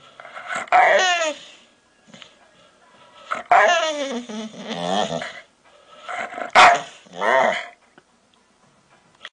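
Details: Big Pit Bull giving a funny bark: three bursts of rich, wavering, yodel-like barking with rising and falling tones and a rough, growly edge, separated by short pauses, in a quiet setting.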